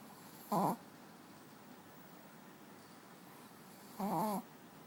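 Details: Pet dog snoring while asleep on a bed, two short rasping snore bursts about three and a half seconds apart, quiet room between them.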